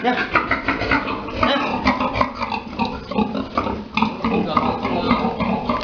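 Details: Domestic boar and sow mating at Dusama Farms: rapid, repeated harsh grunts pulse steadily throughout, with a human voice mixed in among the farm noise.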